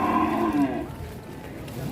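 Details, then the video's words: Raging cattle; a loud harmonic bellow that falls in pitch over the first second, then a lower rough continuation. "SAPI NGAMUK"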